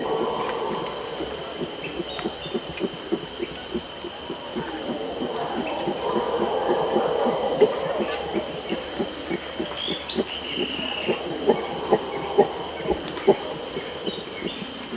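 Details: Red howler monkey grunting aggressively at close range toward capuchins. Rapid, rough grunts pulse several times a second, while the howler troop roars in a low, droning swell behind and some movement is heard.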